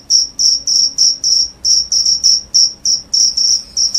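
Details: Cricket calling loudly, said to drive away rats and make listeners drowsy: clean, shrill, high chirps in short bursts roughly three per second, slightly uneven in spacing, against a quiet background.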